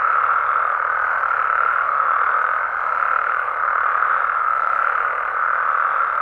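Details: In Mexico's amphibian habitats at night, frogs and toads keep up a thick, steady croaking chorus at a single mid pitch, dipping slightly in loudness around the middle.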